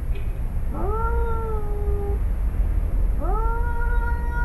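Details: Tomcat and son square off in a yard in Arequipa, Peru, ready to fight; two sustained, level moaning yowls, each rising sharply at the start, follow about two seconds apart over low steady background hum.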